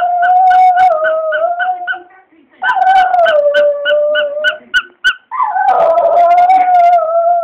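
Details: A Border Terrier gives three long, wavering howls in response to his owner squeezing his squeaky toy; pitch holds fairly steady, each sagging slightly lower before ending, as quick, regular squeaks sound through much of the howling.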